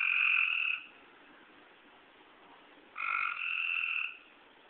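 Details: On a rainy night in woods behind a house, eastern tree frogs call back and forth in the dark: two buzzy, harmonic trills, the second longer and rising slightly, with a quiet pause between.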